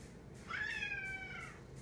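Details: Female house cat insisting someone sit with her while she eats gives one rising then falling meow of about one second, indoors, with a low hum underneath.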